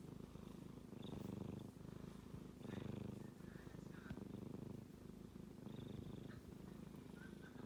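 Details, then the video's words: Sleeping male kitten snoring, a deep buzzing rumble rising on each breath about every one and a half seconds, with faint thin squeaky tones drifting above it. "子猫のいびき a Kitty is making a noise when he sleeps"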